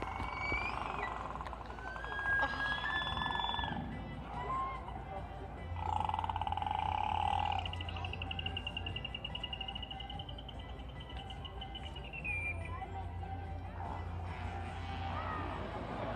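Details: Captive killer whales (Orcinus orca) at SeaWorld in April 2016 give pod communication calls, squealing and whistled tones, some held steady and others bending up or down; each pod has its own dialect.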